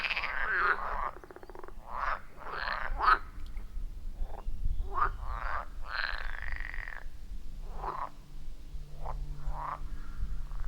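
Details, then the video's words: Frogs at a wild forest pond give a chorus of croaks, recorded with an iPhone 14 Pro and Shure MV88+: scattered rasping bursts and one long drawn croak near the middle, over a steady low rumble. "30 Minutes of Frog Sounds at a Forest Pond"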